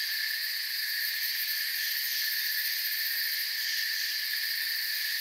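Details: Crickets in a forest, a dense steady chorus of high, continuous shrill trilling layered in several bright bands, with no pauses and no other clear sounds.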